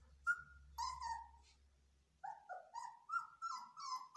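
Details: Belgian Malinois puppies in training, screaming: high whining cries that bend downward, a pause of silence, then a run of short rising and falling yelps in quick succession.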